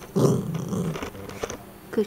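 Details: Female puppy growling on command during training: a low, rough rumbling growl of about a second, then a short quieter growl near the end, with a person's voice giving praise.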